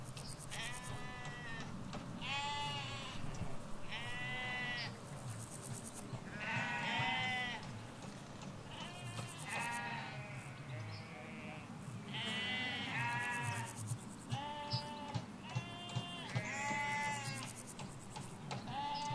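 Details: A flock of ewes and lambs in a Hampshire field beside a hedge: near-constant chorus of quavering bleats, high and low voices calling back and forth every second or two, over distant low rumble and faint buzzy trills.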